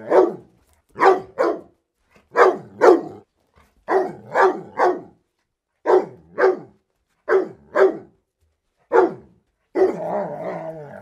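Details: A deeper-voiced dog barks in pairs and runs of three, the barks lower and more tonal, ending in a longer rough, growling bark at the close.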